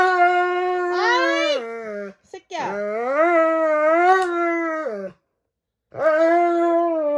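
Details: Roman, a Dobermann, howls in protest during his first nail clipping of the year: long harmonic wails that rise and fall, broken by short gaps and a near-silent pause around five seconds. Faint background noise.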